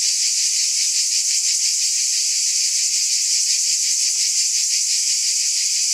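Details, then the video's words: Cicadas drone in an unbroken, piercing high buzz with a light pulsing texture. Nothing else stands out against the steady insect wall of sound. "Mmm! Scintillating Cicadas 1 hour White Noise"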